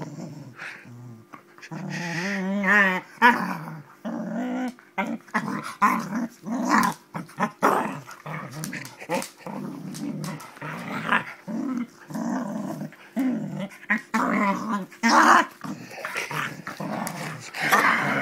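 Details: Springer Spaniel play fighting indoors, growling hard and steadily in rough, gravelly bursts, with one wavering whine-like growl near the start and frequent snaps and scuffling.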